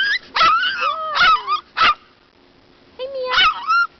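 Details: Dog crying while riding in a stroller at the park, a string of high, wavering whines and yelps in bursts, some drawn out and falling, with a person's voice talking to the dog in between.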